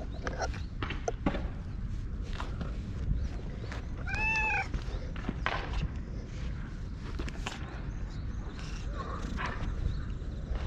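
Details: Orange tabby stray cat, recorded on a GoPro, talking in cat language while rubbing against a person. A single rising-then-falling meow near the middle stands out over steady rustling and low handling noise.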